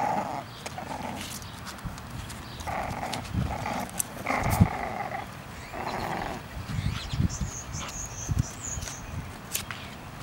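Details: English Bulldog puppies in a basket outdoors, giving short nasal whines and yelps in scattered bursts, several overlapping. Rustling and thumping from the basket can be heard between the calls.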